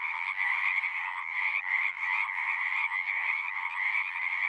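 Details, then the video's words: A frog chorus of many voices blending into a continuous buzzing trill. The loudness pulses gently every fraction of a second, with two steady pitch bands and no other sounds. "One hour of singing frogs."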